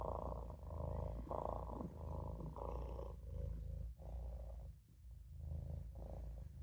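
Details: Olof, a Maine Coon kitten, dozing in the sink and purring: deep continuous rumble broken into uneven swells, with brief dips in loudness near the end and some breathy midrange texture.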